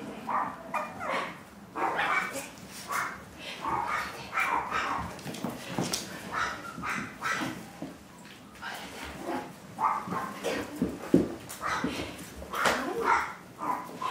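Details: Chihuahua puppies kept for sale. Short, sharp, high yips come in irregular bursts, several per second at times, with brief pauses between flurries, and some softer whimpering notes mixed in.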